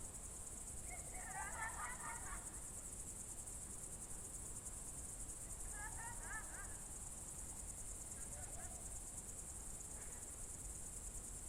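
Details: June 2023 evening crickets in Novgorod Oblast's Novye Buregi tract: an even, high pulsed trill fills the whole stretch while a bird sings three short twittering phrases, the last one fainter.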